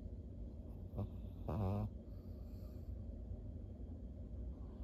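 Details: Maria, a thirteen-year-old fawn female Pug in Japan, recorded October 2023, gives two short low grunting whines, the second longer and wavering, over a steady low indoor hum.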